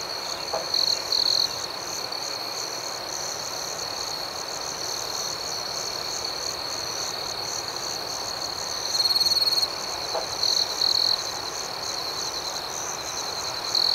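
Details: Several crickets chirp at night, a constant high ringing with quick rhythmic pulses above it. A nearer caller surges louder in short bursts now and then, and two faint clicks come through.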